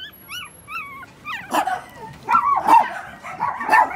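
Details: Male puppy, recorded 1 December 2020: high wavering whines slide up and down, then turn into noisy, rough yelps and whimpering barks repeated about once a second.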